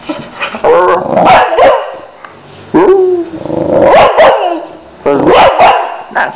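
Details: Boxer dog producing repeated barks and harmonic 'au au' howling calls in three main bursts, loud and close, with human voices mixed in.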